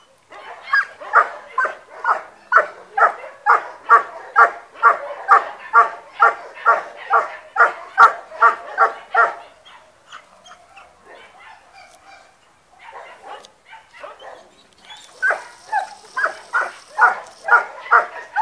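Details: German Shepherd in guard training, barking hard: loud, rapid barks about two per second in a steady run, a lull of softer noises midway, then the barking bursts back in.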